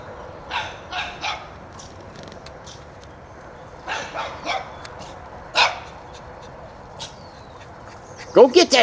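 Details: One-year-old Shih Tzu puppy chasing a whitetail deer out of its yard barks in short sharp bursts, single yaps and quick pairs or triplets spread over several seconds, with a person's encouraging voice at the end.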